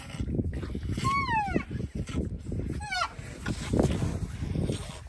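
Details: Voicing his discontent over Peter's extra milk feed, the rhinoceros Bula gives two short, harmonic moans that slide downward in pitch, the first longer than the second. Low rumbling noise continues underneath.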